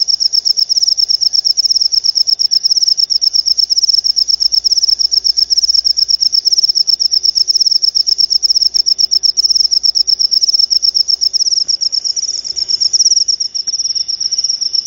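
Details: Continuous high-pitched cricket chirping used to scare off rats and attract lovebirds, rapid even pulses repeated without pause, slightly wavering near the end, over a faint low background hum.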